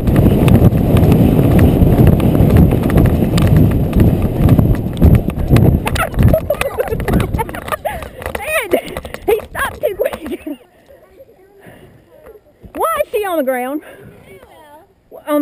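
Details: A Friesian horse running on the river bottoms at McIntosh Reserve in Whitesburg, Georgia, recorded on a GoPro Hero 2 carried by the rider: rapid drumming hoofbeats under heavy wind rumble, then a sudden quiet as he stops, with wavering voiced sounds near the end.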